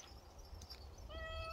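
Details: Short, even meow from a pet cat known as exceptionally dog-like, arriving late over a low rumbling hum and faint clicks.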